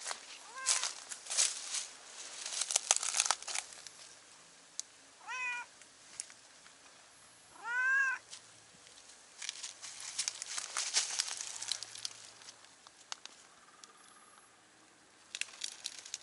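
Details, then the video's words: Stray cat on a cliff on a cat island in Japan calling to another cat below; two clear arched meows around five and eight seconds among rustling and clicking noises, a faint third mew near the end. "崖の上の猫が下にいる猫と交信/ Cat on cliff communicates with cat below"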